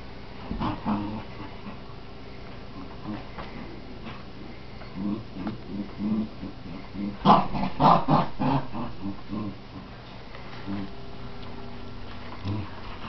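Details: Scottie dog and Jack Russell terrier playing tug of war, giving low rumbling growls in bursts with snarls and a louder flurry midway, a tugging scuffle throughout.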